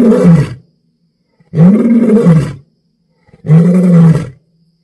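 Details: African lion roaring at night: three deep, heavy roars about two seconds apart, each a rough, low-pitched rumbling bellow lasting under a second, with silence between them.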